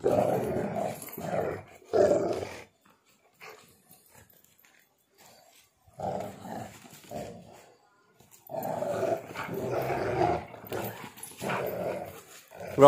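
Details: Pitbull mix and husky growling while playing tug of war with a shoe; rumbling growls in bursts separated by quiet pauses, with a person speaking to the dogs.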